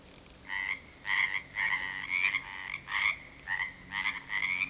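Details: Frogs at a natural pond at 7 pm after dark in February 2009, back after weeks of rain and croaking louder, give short, harsh, rasping calls in quick succession, several overlapping bursts each second.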